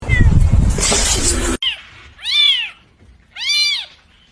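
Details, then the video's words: Cat meowing: a loud burst of noise, then two clear, drawn-out meows about a second apart, each rising then falling in pitch. "cats meowing"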